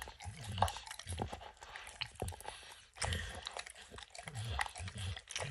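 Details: Wet, rhythmic lapping from Max the dog working peanut butter and kibble out of an orange lick mat, each tongue stroke a sharp smack over soft low thuds, louder bursts near the middle.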